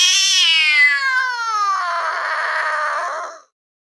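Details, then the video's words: Domestic cat letting out a single weird yowl over three seconds, starting high and clear, sliding gradually lower, then turning rough and breathy before fading out. "this weird sound is from a cat"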